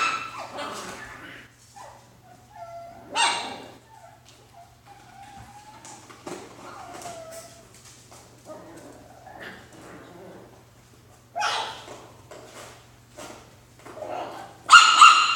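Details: Alaskan Klee Kai puppies playing in their boxes, giving short high whimpers and yips, a few drawn-out whining tones, with bursts of rustling and scraping between calls.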